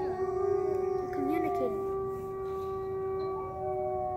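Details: Wolves in a wildlife sanctuary howl together, long steady tones layered with a few wavering, sliding voices.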